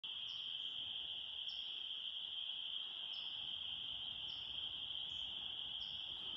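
A dense spring peeper chorus forms a steady, shrill high ringing, with sharper rising peeps repeating above it.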